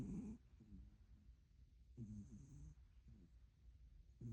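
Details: Sleeping cat snoring softly: low, rumbling breaths roughly every two seconds, each a short raspy burst fading into quiet, close and faint in an otherwise still room.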